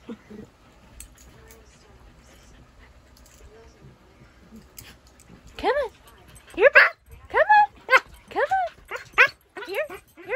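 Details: Siberian Husky puppy, chased in play by a shih tzu while being coaxed to jump up on a bed, gives a quickening run of high, arched whining yips in the second half after a quiet start; a person keeps calling "come on" and "here boy."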